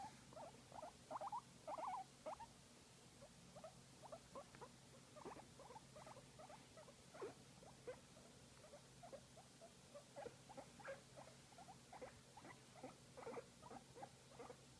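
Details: Guinea pig enjoying a massage keeps up a rapid, uneven stream of short chirps and chuttering pulses, a few louder bursts early on, over a faint steady hum.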